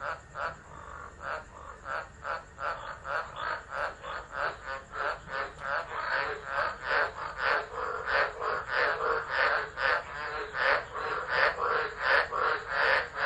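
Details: Tropical frogs singing in a storm-time chorus at Driver, Northern Territory, Australia, December 2013, phone recording left running; quick rhythmic croaks nearly three a second, building louder through the passage, many frogs overlapping.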